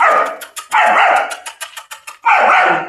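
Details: German Shepherd held in chains for the first time, loud rough barks at the start and end, with rapid metallic rattling clicks between them, likely the chain.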